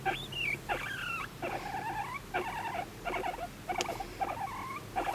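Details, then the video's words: Affectionate, attention-seeking voice of a pet guinea pig adopted at eighteen months in May 2019: a looser series of chirpy, wavering squeaks with uneven spacing and a quiet background. "モルモットのかわいい甘える声♪ Cute voice of guinea pig"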